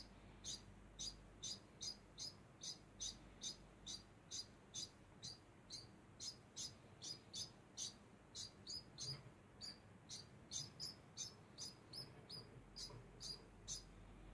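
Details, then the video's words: A constant run of thin, high degu chirps, about two to three a second. The chirps sit in a quiet background with only faint low rumbling. "Degu makes constant sound"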